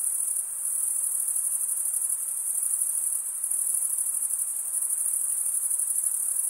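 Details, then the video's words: Crickets stridulating, the males rubbing one wing's toothed vein against the other, form a dense, continuous high-pitched shimmering trill with a fine pulsing texture and steady loudness throughout; no other sounds. "Most relaxing cricket sound"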